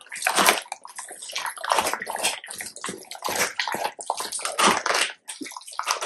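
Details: Labrador Retriever eating a large raw chicken carcass, crunching the bones: loud, irregular wet cracking and crunching bursts with brief pauses between them.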